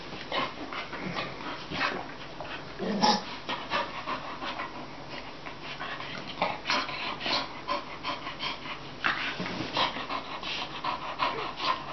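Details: Two Bull Terriers, one a year old and the other about 11 weeks older, reunited after 10 months apart, cuddle and gnaw, panting and snuffling in quick breathy bursts with soft chewing noises.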